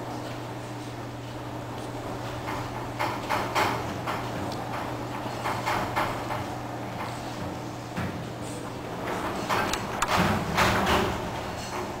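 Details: An indoor room with a steady low hum, scattered clicks and knocks, and sliding, door-like sounds, with no animal voice heard.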